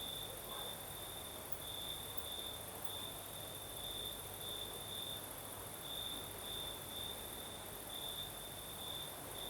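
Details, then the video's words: Southern Crimea after dark, crickets trilling steadily at high pitch with brighter pulses roughly every two seconds, a soft night breeze hissing throughout. "Сверчки поют"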